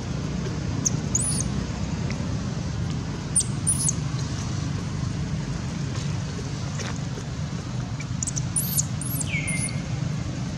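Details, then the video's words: Kidnapped by monkey Bridget, baby monkey Baron cries for its mother's help with scattered piercing high squeaks and one drawn-out falling wail near the end, against a continuous low hum of traffic. "Pity baby Baron was kidnapped by monkey Bridget, Baron crying loudly until less sound call mom help"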